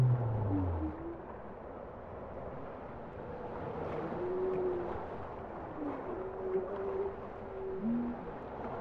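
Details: Bowhead whale song underwater: a loud low moan at the start, then a series of faint tonal notes drifting around mid pitch, some rising and falling, over a steady hiss of ocean noise.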